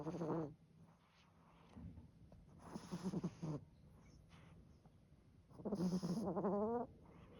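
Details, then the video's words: Sleeping toy poodle snoring powerfully and loudly, deep rasping breaths in long bursts with wavering tones, a louder drawn-out snore near the end, quiet pauses between breaths. "This toy poodle's powerful snoring is a riot!"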